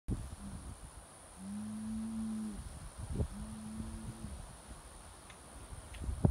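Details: Homozygous polled Hereford, calved September 2014, moos twice on a ranch: a long steady low tone, then a shorter one about two seconds later, with a constant high electrical whine and a few faint knocks.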